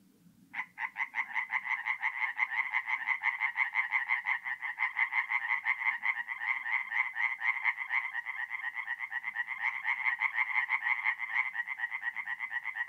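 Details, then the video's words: Forest pond in north-east Italy at night in mid-April: after a moment of low rumble, a chorus of tree frogs bursts in abruptly and continues as a rapid, grating, pulsed croaking. "relaxing forest pond by night with singing tree frogs"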